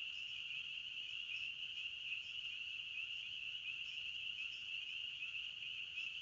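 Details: Forest crickets chirping together, making a continuous shrill, ringing trill at an even pitch with slight pulsing, over a soft low background hum.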